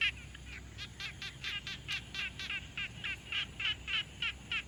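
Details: Frogs at a quiet pond, captured with a Tascam Portacapture X6 field recorder: short pulsed, rattling notes repeated about three to four times a second in a steady series, over a faint low background hum.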